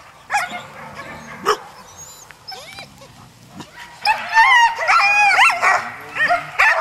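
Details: Alaskan husky sled dogs at a musher gathering in Målselv, Norway, September 2009: scattered sharp barks at first, then an excited burst of high yelps and wavering whines from several dogs.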